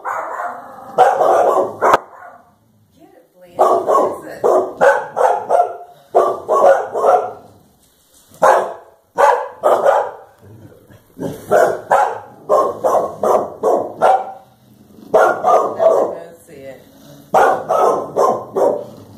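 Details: Two Clumber Spaniels barking while confronting a cow: rapid runs of sharp, mid-pitched barks in bursts of several seconds, with short pauses between volleys.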